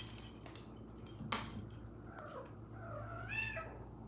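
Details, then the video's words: Domestic cat named Luci, jumping about and being affectionate; two soft meows, one falling and one rising then dipping, over a steady low hum with a few knocks. "My cat Luci jumping and making sounds"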